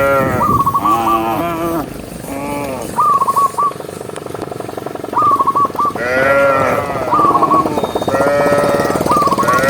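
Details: Tame cows herded along a highway moo in long, rising and falling drawn-out calls, several overlapping, with breaks of quieter road sound between them.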